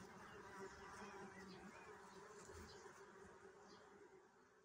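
A steady, low droning hum of bees, dense and continuous, as from many wings at once.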